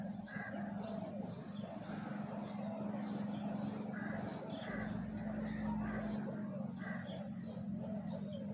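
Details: Swarm of big honey bees around a comb yielding 5 kg of honey, heard as a loud, continuous low buzz that swells slightly midway, with bursts of high, repeated bird chirping over the top.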